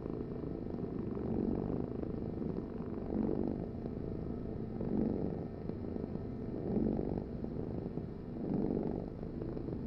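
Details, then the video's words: A cat's deep, continuous purr, its buzzy rumble rising in soft surges about every two seconds as the animal breathes in and out. The background stays quiet. "Heal with the ultimate cat purring vibration"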